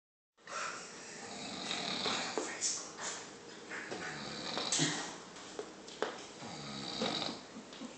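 A grizzly bear snores with rough, breathy rasps that swell and fade in an uneven rhythm.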